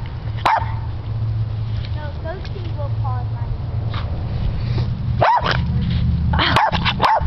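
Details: Brittany dog playing in the snow, obsessed with snowballs. Sharp barks come singly, and then in a quick pair near the end. Thin squeaky whines sound in between, over a constant low hum and background noise.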